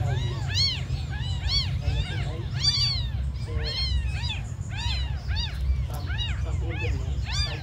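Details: Tiny abandoned kittens mewing nonstop, shrill arched cries from several young cats overlapping one after another, set against a constant deep background hum.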